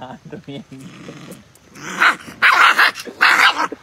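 A Rottweiler puppy gives three rough, high barks, each about half a second long.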